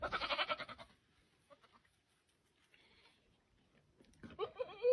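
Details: Goat mating sounds: a harsh, rapidly pulsed stuttering bleat opens, followed by a quiet stretch with faint rustling, then a rising, wavering bleat near the end.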